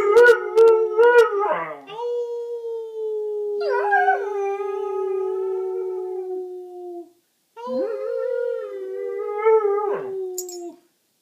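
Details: Howling session of an 8-month-old German Shorthaired Pointer with its owner: brief yelping notes lead into a long, gradually falling howl, a short pause, then another sustained howl with a wobble near its end.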